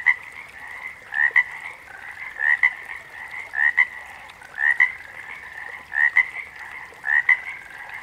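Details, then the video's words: Chorusing frogs: repeated two-note upswept chirps roughly once per second from a dominant frog, backed by a constant overlapping hum of many more distant callers. "Backwater Chorus, & Frog Chorus"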